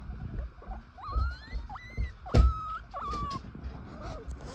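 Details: Nursing baby guinea pig pups give soft, high squeaky calls, some rising and some level, with low rustling beneath, while their mother sleeps in the cage.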